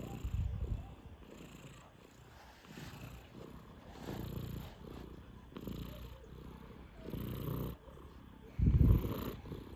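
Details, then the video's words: Snoring from a sleeping Sphynx cat, five months old, heard as deep, low rumbling breaths in an uneven rhythm, ending in one louder snort. "스핑크스고양이 코골이"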